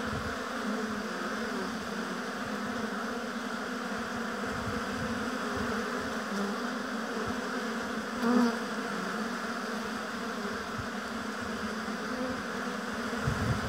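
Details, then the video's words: Busy bees at an apiary hive make an unbroken, even hum of countless wingbeats. A single louder bee zips by close around the eighth second, then the drone settles back. "Busy Bees Buzzing Sound"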